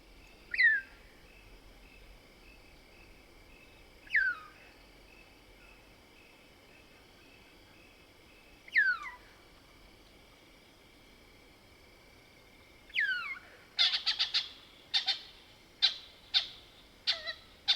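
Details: Mohol's bushbaby, a lesser bushbaby, calling at night in the Soutpansberg range of South Africa: a few separate falling squeaks spaced several seconds apart, then a quick burst of sharp clicking chatter with more squeaks near the end; steady faint insect hum behind.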